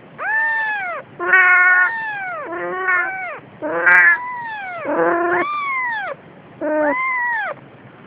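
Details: A Siamese cat carrying a kitten gives a run of loud, drawn-out meows, each rising then falling.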